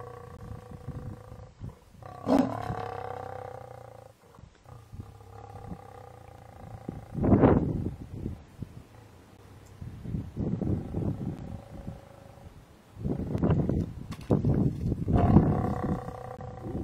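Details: Mother lion in Kruger, taking refuge up a tree from a buffalo herd after running to help her cub chased up a tree; low rough growling bursts recur amid steady engine-like hum, with louder harsh outbursts near the start and end.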